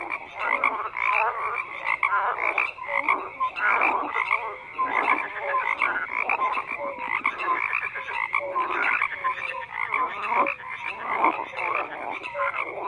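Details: Crowded chorus of croaking frogs, rasping pulsed calls repeating rapidly and overlapping, with brief tonal notes scattered throughout; the din stays steady across the whole stretch.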